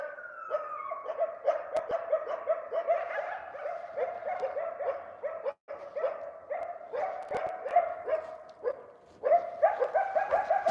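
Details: A wild coyote, a dominant territorial male at least 8 years old with a pup this year, gives a sliding howl, then a long run of rapid, yelping yips and barks.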